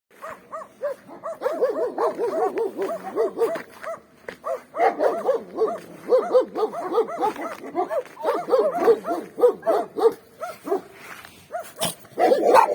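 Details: Several free-range dogs barking on a street in winter scenery, some behind a fence; dense overlapping barks from more than one dog, continuous with short gaps, a few higher yelps near the end.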